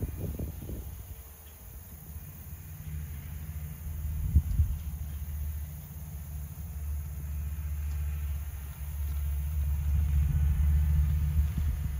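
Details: Steady low engine rumble outdoors in a rural setting, with faint knocks and no animal calls.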